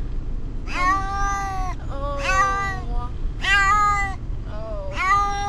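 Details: Brutus the Beefcake, a house cat stressed during a car trip to the vet, gives four drawn-out, rising-then-falling meows roughly every 1.3 seconds, said to sound like "Amber", with engine hum underneath.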